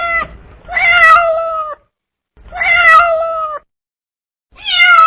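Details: Domestic cat meowing in a compilation of cute and funny cats and kittens: three loud, drawn-out, clear tonal meows, each about a second long, steady then dipping slightly at the end, separated by short silences.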